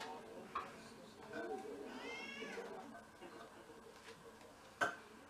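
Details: Indoor cat from a six-cat mixed-breed household in Japan, first-snow day in February 2023, giving a single arched meow about two seconds in, amid soft talking and a couple of sharp clicks.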